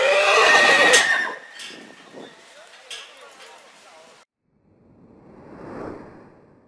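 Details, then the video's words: Purebred horse whinnying in spring, a loud bright neigh filling the first second and then fading, followed by faint knocks and a soft low rumble near the end. "CABALLO PURO RELINCHANDO"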